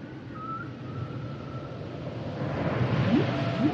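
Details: Humpback whale song underwater: a thin high whistled tone held steady early on, then short rising upsweeps near the end, over a constant low rumbling ocean background.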